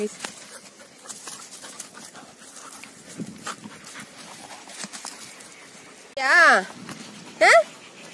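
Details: A Labrador Retriever gives two loud, wavering whines near the end, the first about half a second long rising and falling in pitch, the second shorter and higher, over soft background voices and faint rustling.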